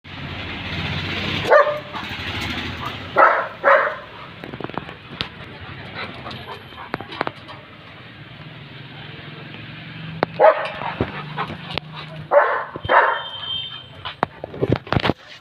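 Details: German Shepherd barking loudly in short bursts, a pair of barks early on and another cluster about ten seconds later, with a low rumbling background and faint clicks between the barks.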